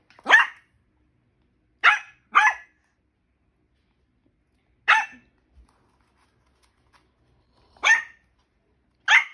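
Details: Papillon dog kept together with a macaque named Chita, letting out six sharp, high-pitched barks: one opening yap, a quick pair, then single barks spaced a few seconds apart, with near silence between them.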